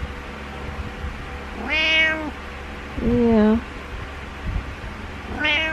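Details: Butters, a pet cat, gives his morning meows indoors: a long harmonic meow near two seconds, a lower shorter one at three seconds, and a third starting at the end, over a steady room hum.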